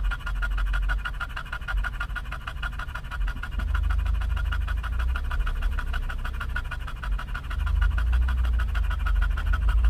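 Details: English bulldog in a car at a Starbucks drive-thru in California, panting in fast rhythmic breaths, close to four per second and steady throughout, over a low engine rumble.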